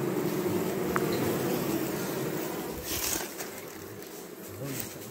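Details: Domestic western honey bees at an acacia honey harvest in Jambi, hives unharvested for three weeks; a continuous mid-pitched swarm drone fills the first half, then softens while a person speaks briefly and handling noises occur.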